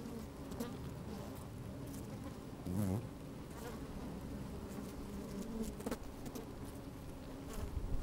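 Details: Busy honey bees at work in an open hive, recorded from a microphone lowered into the colony on a sunny day: dense, rumbling drone with wavering pitched buzzes rising and falling, a louder swelling buzz near three seconds.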